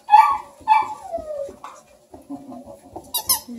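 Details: Playful Bluetick Coonhound puppies with their Redbone buddy, at a breeder near Kingston, Ontario, Canada; two sharp, bright yelps, then a long falling whine and softer low grumbles, indoors with speech nearby.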